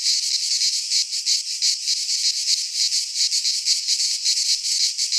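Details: Midsummer cicada chorus from a pine forest in Greece, a harsh, sizzling drone held at a constant loudness and broken into quick, uneven pulses, several insects overlapping without pause.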